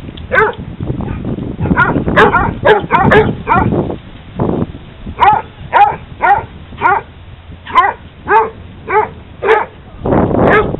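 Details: At a dog park, hounds at play bark in bursts: a dense overlapping cluster first, then a regular run of clear, bright barks roughly every half second, ending in rougher overlapping calls.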